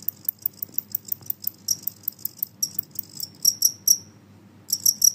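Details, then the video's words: Genggong cricket with a loud, noisy call: a rapid run of bright, ringing high chirps. Several stronger trilled notes come near the end, then a brief pause and another burst. Quiet low background hum. "suara jangkrik Genggong berisik"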